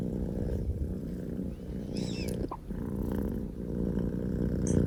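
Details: Loud, engine-like purring from Pokō J, a male Scottish Fold kitten: a continuous low, gravelly rumble, with a brief faint squeak and a small knock partway through.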